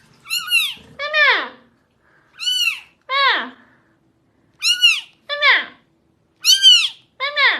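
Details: Domestic cat meowing in pairs, each a higher rising-falling meow followed by a lower falling one, pairs repeated about every two seconds in a quiet indoor room.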